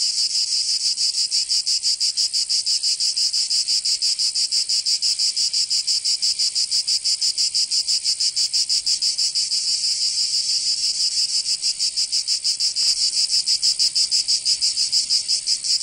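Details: Summer cicada chorus from Provence in the south of France, a continuous shrill buzz throbbing in quick even pulses, roughly three each second, with a faint single click near the end.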